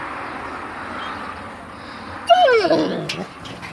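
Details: Kangal puppies meeting people for the first time after a lockdown curfew; after quiet background, a brief high whine rises and falls with a few yelping bends, over a low hum.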